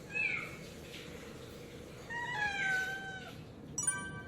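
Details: Pet cat meowing on bath day, 2 September 2018, in a home with four cats: two drawn-out meows, the second longer and falling, followed by a brief clatter near the end.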